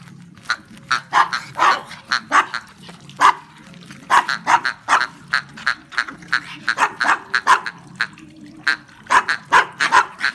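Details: Brussels Griffon hunting dogs on a duck hunt give rapid, high-pitched yapping barks in dense, uneven bursts, with a few short pauses between volleys over about ten seconds.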